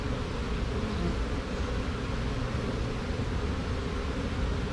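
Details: Honey bees from a caught swarm marching into a box; a thick, constant low-pitched hum of massed wingbeats with slight swells in loudness and nothing else clearly audible.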